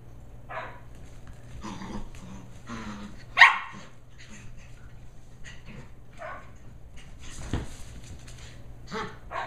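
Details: Two 11.5-week-old Shetland Sheepdog puppies, Holly and Pearl, rampaging and wrestling indoors on an evening together; scattered sharp yips and short growly barks at irregular intervals, one loud bark standing out, with thumps of play between.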